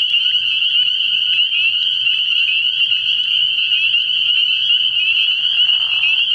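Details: Spring peepers calling in a thick chorus from a frog pond at night early in the year: countless high, shrill peeps merging into a steady ringing drone, a faint lower rasp near the end.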